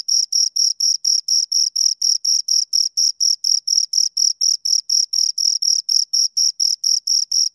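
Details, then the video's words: Pair of crickets calling close to the microphone: bright, high chirps in an even rhythm, roughly four pulses each second, sharply separated by brief silences, with nothing else audible. "Two Crickets Chirp Sounds"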